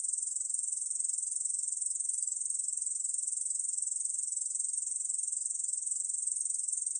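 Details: High, unbroken sizzling trill of an Ussur brown katydid, National Institute of Biological Resources recording from 2020, held at even loudness with soft rhythmic pulses roughly twice a second over clean silence.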